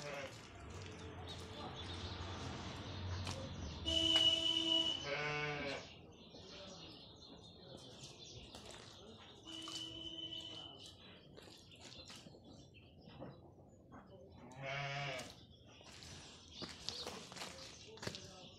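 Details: Corriedale sheep, a hybrid breed, in Kashmir during winter, giving three wavering, harmonic bleats near the start, middle and end, set against steady broadband hiss and scattered background noise.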